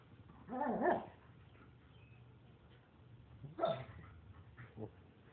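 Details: German shepherd and Labrador puppies play-fighting: two loud, harsh growling barks about three seconds apart, each rising then falling, followed by a short yip near the end, with quiet room noise between.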